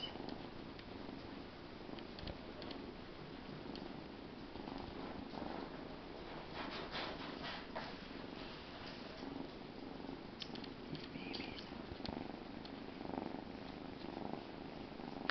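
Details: Young Bengal cat purring continuously, an even low vibrating rumble with rhythmic pulses and small fluctuations in strength, plus faint rustling indoors.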